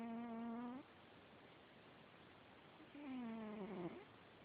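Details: Large 25 lb domestic cat that wakes its owner at night with this sound: two drawn-out, nasal, moaning calls, the first level, the second wavering and falling, separated by about two seconds of quiet.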